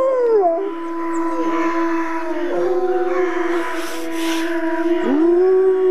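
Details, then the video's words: Chorus of grey wolves in the wild, waiting out a full moon night in the jungle; steady drawn-out howls held at one pitch, with higher voices sliding down and new howls swooping upward over them. "Wolves Howling Sounds in Wild Life | Wolf Howling"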